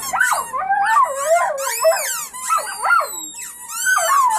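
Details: A family of puppies howling: loud, wavering howls sliding up and down, two or more pups overlapping in a continuous chorus.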